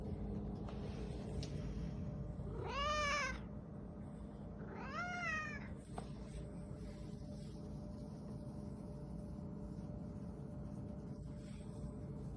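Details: Talkative male domestic cat that wants to go out to the garage, giving two drawn-out meows about two seconds apart, each rising then falling in pitch, with a steady low hum and a person speaking nearby.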